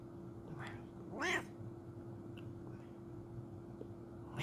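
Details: A Bengal cat gives a single clear meow that rises and falls, as a morning greeting.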